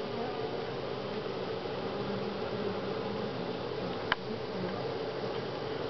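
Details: Honey bees droning without pause at Grass Lake Sanctuary, week 6, on July 25, 2011; a thick, level hum of many insects with a single sharp tap about four seconds in.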